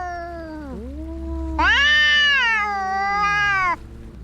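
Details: Domestic cats fighting: long drawn yowls that dip, then a loud, harmonically rich wail rising and holding for about two seconds before cutting off, with a low hum beneath.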